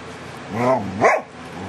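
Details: DaVinci the dog making funny sounds, recorded July 2011: a short low harmonic growling groan that swells then eases, followed by a louder, sharp rising-and-falling vocal yelp, with a steady hum behind.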